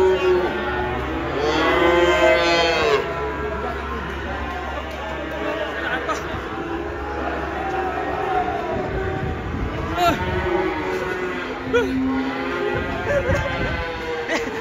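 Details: Angry cow that came down off a truck and charged into a roadside food stall, sending the seller into hiding: drawn-out harmonic moos around two seconds and again near ten to twelve seconds, over steady engine hum and people talking.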